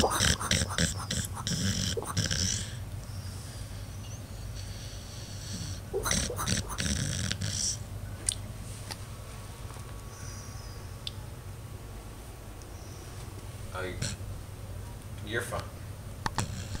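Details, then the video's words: Five-year-old female Pit Bull sleeping and dreaming, snoring and barking in her sleep: a quick series of rough bursts at the start, another cluster a few seconds later, then quieter low breathing with scattered soft sounds. "Pit Bull Snoring and Barking in Her Sleep"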